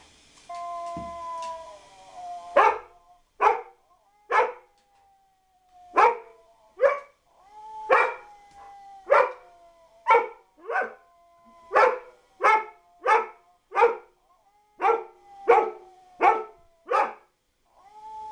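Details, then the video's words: Dog giving a drawn-out tonal howl at the start, then sharp barks repeated about once a second with a thin held tone running beneath them. "dog howl"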